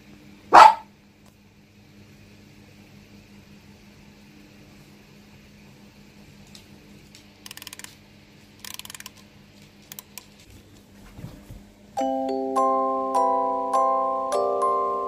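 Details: Pet dog indoors in Yokohama, Japan, on a cloudy evening, giving one loud sharp bark after having its feet washed on the return home; faint rustles follow, then a chiming electronic melody plays for the last few seconds.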